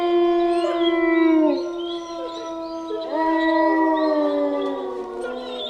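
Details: Wolf. Several wolves howl together in long, sustained tones. One voice holds steady, then dips; others join with rising, wavering notes, so the pitches overlap into a layered chorus.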